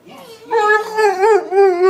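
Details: Shadow, a pet dog, gives a brief steady howl that swells after a soft start, with a small upward bend near the middle, as his owner urges him to say I love you.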